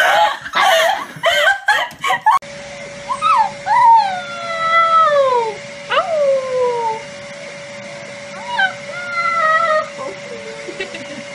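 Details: Siberian Husky howling indoors: a run of drawn-out tonal wails, each sliding downward in pitch, some broken into short wavering notes, over a steady background tone. Human speech is heard at the start.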